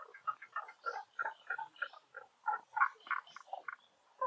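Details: Several frogs croak at Honen-in temple in Kyoto, Japan, during cherry blossom season; short, hollow clucking notes overlap quickly, about three per second, in a busy, uneven chorus.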